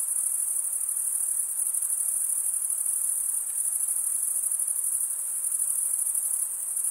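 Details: Male crickets stridulate, rubbing a wing over the toothed vein of the other, making a dense, constant, very high-pitched buzzing trill that never stops, with a quiet background.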